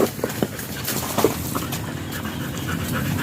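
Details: Stud session with a German Shepherd at Nalsian, Manaoag, Pangasinan: hurried, husky panting puffs, a few sharper clicks early on, then steady hoarse breaths over continuous background noise.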